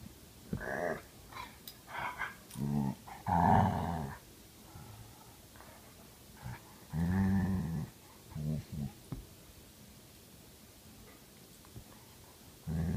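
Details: Belgian Malinois mix and Karelian Bear Dog mix, one grumpy and one playful, indoors; bursts of low rumbling growls and vocal grumbles separated by short pauses, with some louder harmonic moans.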